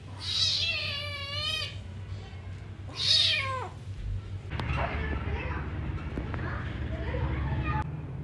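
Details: A kitten wanting its mother gives two wavering, downward-sliding meows early on, then the sound gives way to broad rumbling noise and murmuring voices.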